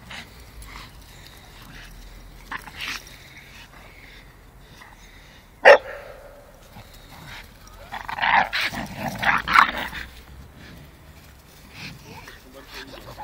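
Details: Playtime between a four-year-old Staffy and a five-month-old Amstaff: one sharp bark cuts through, then a cluster of rough, gravelly growls and snarls about two seconds long, between quieter stretches of shuffling.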